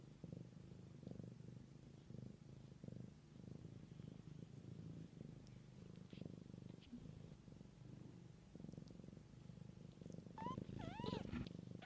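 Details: Mother cat tending her kittens, said to be in the wild; a steady low rumbling purr pulses continuously throughout, with a brief high meow near the end.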